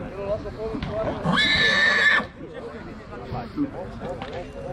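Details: A two-year-old stallion colt in Dăneștii Chioarului, Maramureș, Romania, giving one loud high whinny lasting about a second amid people talking close by.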